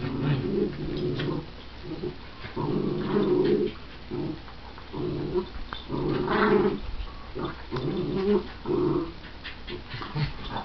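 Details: Playful growling from two dogs, a miniature schnauzer sounding mean while her tail wags and a barking shih tzu/pomeranian mix; rough low growls repeat in pulses about every second, punctuated by quick higher barks and scuffling.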